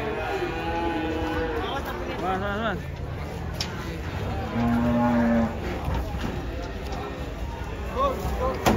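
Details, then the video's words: Agitated banteng breaking loose as it comes down from a truck, lowing in a long wavering moo for nearly three seconds, then brief further calls amid voices and the rumble of a vehicle. "AWAS BANTENG NYA NGAMUK LEPAS TURUN DARI TRUK"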